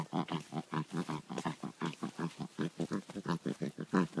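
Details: A pet dog making weird noises: fast rhythmic voiced grunts, about four or five a second, each a low, throaty, pulsing huff in an even, pig-like pattern.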